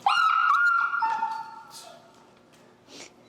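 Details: During come-when-called training with an e-collar, Finn, a very vocal dog, lets out a loud, drawn-out high whine. It holds steady, dips briefly, then sinks lower and fades over about two seconds, followed by a few faint rustles.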